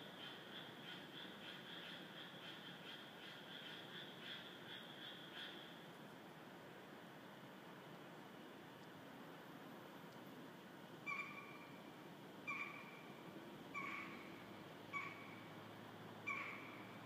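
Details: Frogs chorusing in 2015 in Esaka, Suita, just north of central Osaka, an area known as an office district; a faint, steady droning trill fills the first seconds, then short sharp calls ring out roughly every second and a half near the end.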